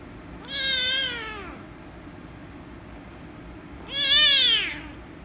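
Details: Rescue kitten, angry at being petted, gives two long loud meows roughly three seconds apart, each rising slightly then falling, strongly harmonic, with low room hum beneath.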